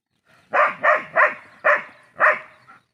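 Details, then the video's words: Household dog giving five sharp, evenly loud barks, about three a second at first, then a short pause before the last bark, with a small faint yip at the end. "The real sound of our dog"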